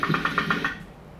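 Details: Rough-toothed dolphin (Steno bredanensis) gives a quick, even train of sharp ticking clicks used for echolocation, lower in pitch than other dolphins.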